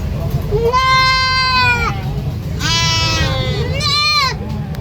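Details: Goat screaming in three long, loud, quavering bleats, the first nearly a second and a half, the last trembling fastest, over low hum.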